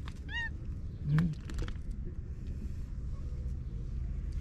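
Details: Stray cats resting peacefully at dusk in a park in Japan, the pink cat together with a mischievous trio; a single brief arched meow sounds near the start, then a low urban rumble and a faint soft voice.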